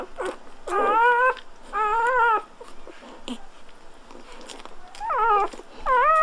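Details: Newborn Golden Retriever puppies just after birth, indoors: short high squeaky whimpers with harmonic stacks, some arched and wavering, in bursts of about half a second separated by quiet gaps, a few faint clicks between.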